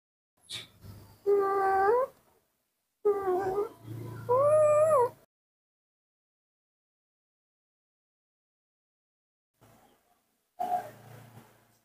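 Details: Spoiled young pet monkey Mobi begging loudly for morning milk while other monkeys also wait to be fed. Three harmonic, slightly wavering cries sound in the first five seconds, then silence, then a faint short cry near the end.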